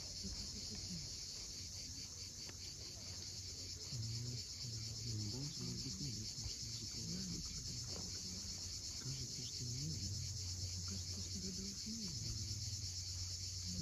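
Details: Cicadas on the Crimean coast at Cape Fiolent buzz in an unbroken high whine at sunset, while lower murmuring, wavering tones and the surge of waves come and go beneath.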